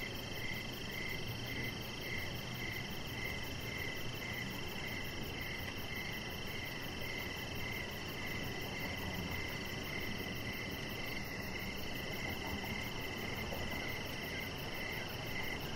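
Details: Evening crickets chirping outdoors beside a deck, a clear series of short high pulses at a regular rhythm of almost two a second, layered over a steady wash of insect and ambient noise.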